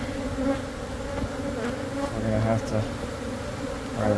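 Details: Dense, even droning of a honey bee colony in a church building's wall in Monrovia as the hive is removed for relocation to a beekeeper, with a low rumble underneath.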